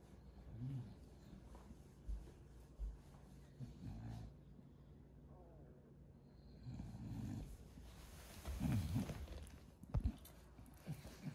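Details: Female bulldog found asleep after a twelve-hour nap, snoring in low, rough snorts. The snorts come unevenly, fade into quieter breathing mid-way, then return heavier and louder near the end.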